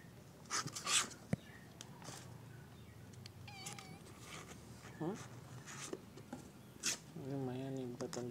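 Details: Kittens from 2023 mewing indoors: a few short, high, wavering meows mid-clip, then a longer, drawn-out quavering meow near the end, while a person talks in Indonesian through most of the recording.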